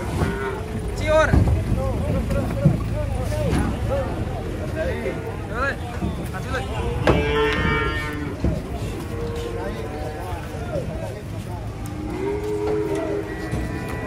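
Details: Giant, agitated cattle being unloaded from a truck, lowing in a series of deep, drawn-out moos with several shorter bellows in between, over a low vehicle rumble and a few background voices.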